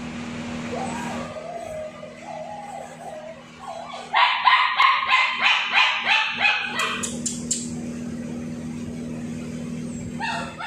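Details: Tibetan Mastiff puppies, male and female, giving a faint whine early on, then a fast run of sharp yapping barks about three per second for several seconds, over a steady mechanical hum.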